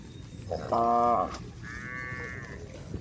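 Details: Village cow of a grazing herd gives a short held moo, followed by a fainter, higher, steady tonal call from another animal, against quiet low background noise.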